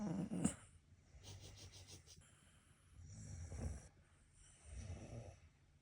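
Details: Sleeping Shiba Inu snoring indoors, a run of rough, rumbling breaths likened to beatboxing, with a sharp snort at the start, then slow, grating inhales and exhales every second or so.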